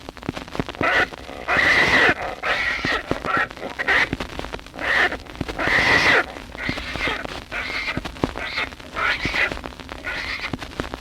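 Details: Javelina squealing on an old wildlife-call record, said to draw coyotes and other javelinas: harsh, raspy squeals in short bursts, roughly every second or two, with record crackle and hiss behind.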